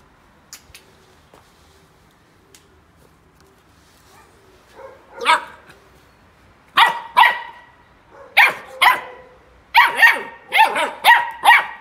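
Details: A Golden Retriever puppy on his first day at home, chewing and destroying a paper towel, gives a string of high, sharp yaps coming in quick pairs and bursts.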